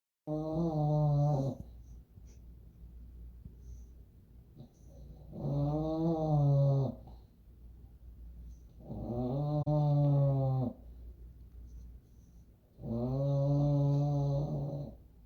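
Deep, buzzing snores from an English Bulldog come in long, rumbling pulses, each about a second and a half. They return at a slow, uneven rhythm of roughly every four seconds, with quiet breathing in between.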